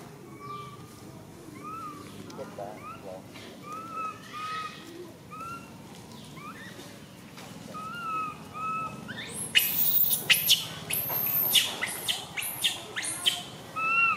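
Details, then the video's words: Tiny baby female monkey MoMo crying as she falls down: a string of short, arched, whistled wails, each slightly rising then falling, gives way after about nine seconds to harsh, loud, broadband squeals and screeches. "Tiny baby monkey MoMo falls down while she crying."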